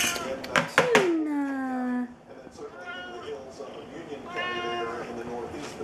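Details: A female Siamese cat, who usually makes quacking sounds instead of meowing, gives one long, drawn-out meow that slides downward in pitch, followed by a person softly asking what she wants.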